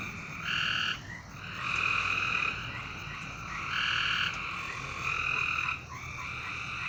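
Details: Frogs calling at night: several overlapping, sustained buzzy trills in bursts of about one second, rising and fading in turn over a steady background hiss.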